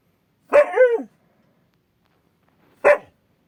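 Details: Akita watchdog warning at an odd noise outside, giving two short yowling barks about two seconds apart, the first drawn out with a falling tail, the second clipped; quiet between them.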